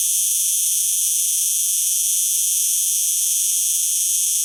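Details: A cicada's song fills the stretch as a continuous shrill electric drone, high-pitched and even, with no pulses, gaps or other voices.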